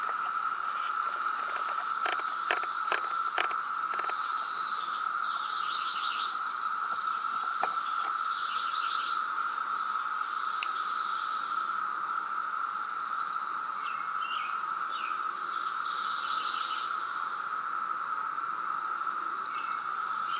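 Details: Loud periodical cicada brood emerging in Reston, Virginia, in 2017: a steady, unbroken droning buzz holds throughout, with scattered bird chirps and short twittering calls layered above it.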